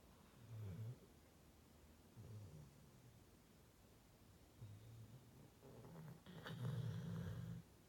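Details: Female pet Rottweiler asleep indoors, snoring in low rumbling bursts about every two seconds, each a short throaty rasp, the last one longest and loudest.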